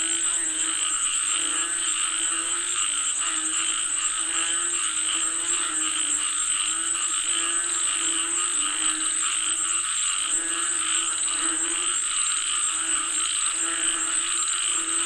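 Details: Frogs call for rain in a thick chorus of repeated buzzy croaks, pulsing steadily while a constant high shrill tone persists underneath.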